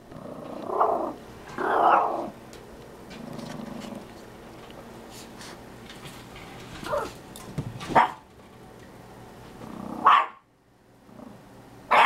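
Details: Chihuahua meeting a tegu, giving growly, rough vocal bursts early on, then sharp isolated barks near the end separated by quiet gaps.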